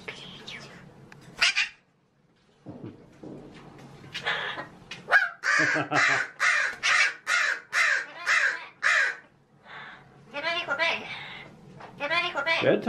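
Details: Pet magpie, a male, talking indoors and imitating human speech in a cheeky mood: a run of harsh, speech-like syllables, several in quick succession, with scratchy bursts and short pauses between.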